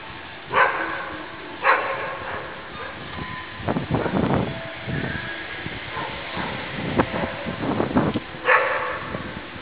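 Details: Deutsch Drahthaar named Guarda, an eight-month-old daughter of Gaia, giving a few sharp, harmonic barks near the start and again near the end, with rustling, scuffling noise between them.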